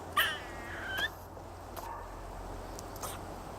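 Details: Squirrel making weird noises: two brief whistled chirps, the first rising and the second falling, about a second apart, over a steady low hum with faint clicks afterwards.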